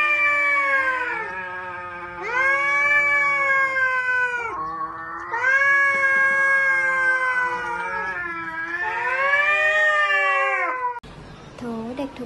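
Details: Domestic cat giving long, loud drawn-out yowls, several sustained wailing calls of one to two seconds each with rich harmonic tones that bend up and down, separated by short breaks, ending in a brief different cry.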